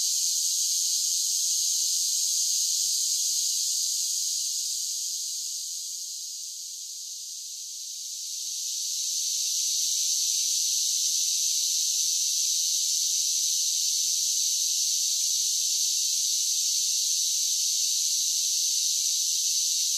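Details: Summer cicada chorus: a loud, shimmering high-pitched drone that dips briefly in the middle, then rises again and stays strong and unbroken to the end.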